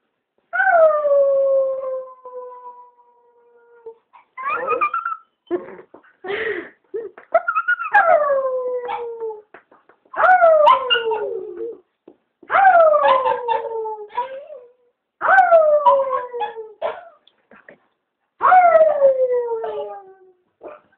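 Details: Chewy the Chihuahua howls as his owner gets him going. Repeated drawn-out howls, each starting high and sliding downward, about every three seconds. Short yips and whimpers fall between them.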